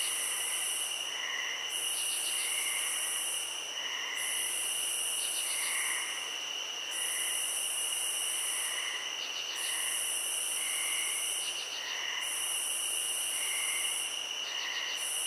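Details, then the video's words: Field crickets in chorus: an unbroken shrill trill runs throughout while a higher, hissing pulse swells in bursts of roughly two seconds with short gaps. Faint lower chirps repeat every second or so. "Cricket Sounds"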